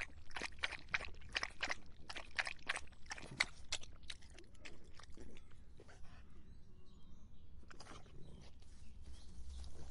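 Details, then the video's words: A dog drinking to quench its thirst in hot summer: a quick run of sharp, wet lapping clicks, about two or three per second, that thins out and pauses after four seconds, then resumes briefly near the end over a low background hum. "더운 여름 강아지가 목 축일 때 나는 소리 The sound of dogs on their throats in the hot summer"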